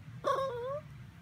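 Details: Miniature Pinscher (Minpin) making a cute sound while asking for treats: a single drawn-out whine about half a second long, starting higher then sagging and lifting slightly, with a low steady hum underneath.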